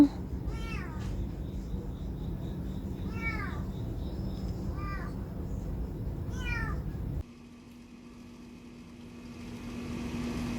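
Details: Stray cat in a neighbourhood, filmed in 2019 on a Samsung Galaxy S9+: four rising-then-falling meows, rich in harmonics, spaced about two seconds apart, over steady low traffic hum that drops away near the end.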